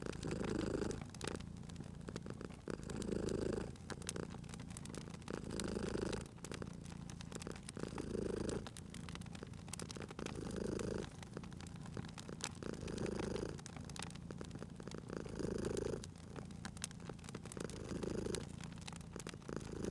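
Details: Cat purring near a crackling fireplace, a soft low rumble pulsing about every two and a half seconds, accompanied by steady crackling and popping of the fire.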